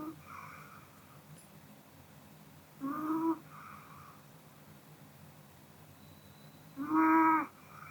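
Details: Sleeping after a meal, the Pomeranian Kodama gives two rasping, harmonic snores about four seconds apart, the second louder, with softer exhaled breaths between them indoors.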